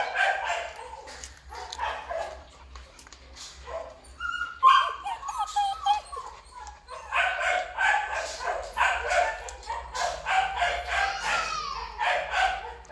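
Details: Rapid, uneven volleys of barking and thin whining yips from a black male Belgian Malinois at a Vietnamese kennel, with a quieter stretch midway before the barking builds again.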